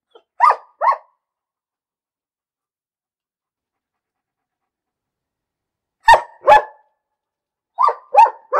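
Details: A dog gives two quick barks, falls silent for several seconds, then lets out two sharp loud barks and a final run of three barks; quiet surroundings otherwise.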